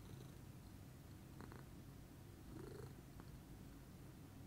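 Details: Lilac Scottish Fold, a female cat, in a calm morning purr: a steady low vibrating rumble, with a brief rising breathy swell midway and faint light ticks.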